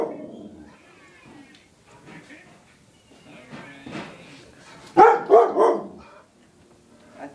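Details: Pet dog reacting to a vacuum cleaner indoors; after quiet talk, a burst of three loud sharp barks in quick succession, then a woman speaking.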